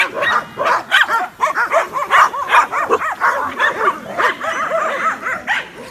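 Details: Curious dogs reacting together to a drone overhead; a close, steady stream of high, yappy barks from more than one dog, overlapping and rapid.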